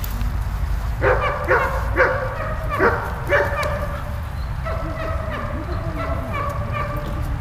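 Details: Malta, a dog, barking while playing with Bulat: a quick run of short, bright, harmonic barks roughly every half second, then softer, drawn-out yelping notes, over a steady low rumble.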